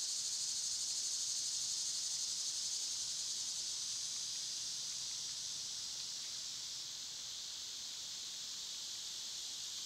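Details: Seasonal summer cicada noise, loud and constant: a sizzling high whine sustained for ten seconds, easing slightly quieter in the second half.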